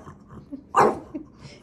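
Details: Dog pestering its big brother with one sudden, loud, short bark midway, surrounded by faint low household noise.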